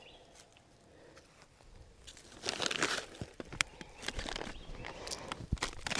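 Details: Crunching and rustling of dry plant material, like footsteps or handling of dead stems, with no animal sounds.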